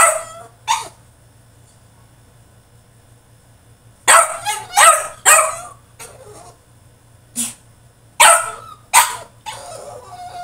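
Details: French Bulldog in his cage throwing a tantrum: a bark, a long quiet pause, then a rapid burst of harsh barks and a short whine, with a low hum in the background.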